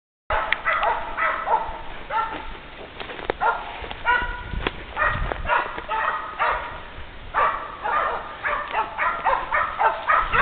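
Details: Two female Polish Hounds baying after tracking a wounded wild boar along an 800-metre trail, twelve hours after the shot. Rapid, irregular, ringing barks overlap with sharp knocks and rustling in the background.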